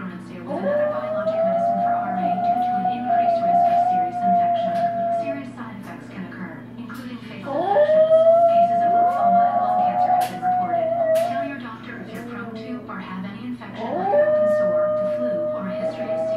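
A small dog gives three drawn-out howls, each starting with a quick upward swoop and then holding a wavering tone before fading. A television plays steadily in the background, and a person speaks briefly.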